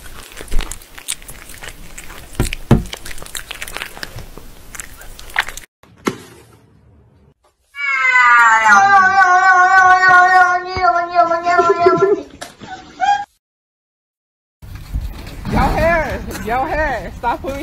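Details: Domestic cat giving a long, drawn-out meow that wavers slightly in pitch, then a shorter wavering meow after a silent gap. Other sounds include rustling and handling noise at the start, and background music.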